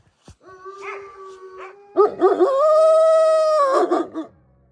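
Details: Wolfdogs, descendants of wolves, in an enclosure at a wolfdog forest in snow-covered Hokkaido, Japan, howling: a steady tone starting low, then a second voice joining with a louder, higher sustained howl that ends abruptly after a few seconds.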